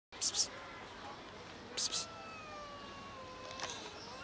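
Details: Mother cat defending her kittens by attacking a person: two sharp breathy hiss bursts, then a long drawn-out tonal wail sliding slowly downward, with another short hiss near the end over quiet background.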